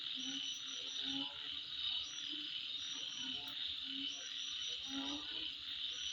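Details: High steady insect buzz at midnight, dotted with rapid faint chirps and irregular low short tones, around eighty a minute.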